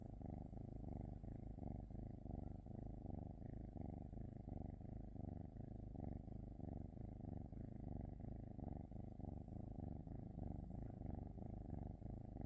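A Norwegian Forest Cat purrs steadily, a low rumbling vibration pulsing smoothly with each breath.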